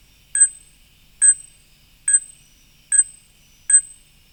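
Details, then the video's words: A fruit bat gives five sharp, metallic pinks, high and bell-like, about one a second, in quiet surroundings; the call is often mistaken for a bird. "Number 13 is yet another mammal that often raises a question of what bird is this and that is a fruit bat."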